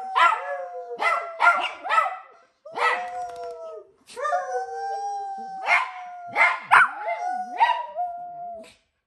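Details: A Chihuahua and an Italian Greyhound howl together in long, wavering tones broken by sharp yelping barks.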